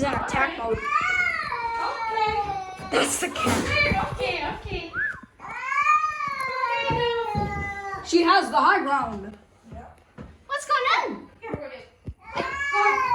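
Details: Female house cat indoors in attack mode on meeting a new dog, giving long drawn-out yowls that arch up and fall in pitch, rich and harmonic, one after another with short gaps, while a person talks over them.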